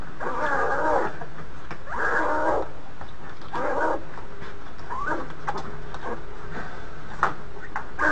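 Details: In the maternity den at Ouwehands Dierenpark Rhenen, a captive polar bear mother and her three-week-old twin cubs: rough, nasal pulsed cries in roughly one-second bursts, fading to softer broken sounds over a constant low hum.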